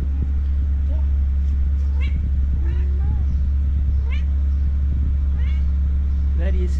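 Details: Two cats asking to be petted at the same time, jealous of each other: about six short, clear meows, some rising and some falling, spaced through the clip over a steady low rumble, with faint voices.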